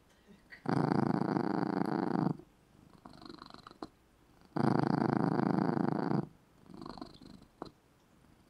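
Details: A sleeping cat curled in its small red bed purrs loudly indoors. The purr comes in two long, steady rumbling stretches of nearly two seconds each, with quiet breathing pauses between them.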